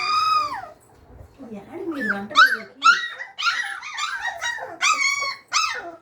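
Labrador Retriever puppies give high, wavering whines and short squeaky yelps in quick succession.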